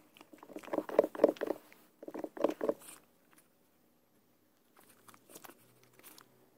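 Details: Peanut, a pug, gives two quick clusters of raspy snuffling grunts in a small room, then near silence broken by faint soft shuffles toward the end.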